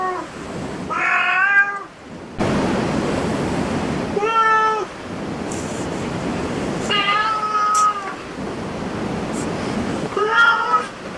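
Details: Cats at a cat cafe give four separate harmonic meows, some rising then falling, spaced a few seconds apart over a steady broadband hiss of background noise.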